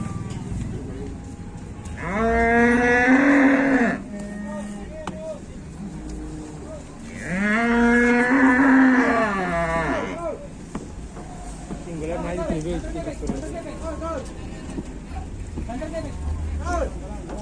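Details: A pitiful-looking fat cow lows twice, each moo long and strong, about two to three seconds, roughly five seconds apart, followed by softer wavering calls and murmuring voices.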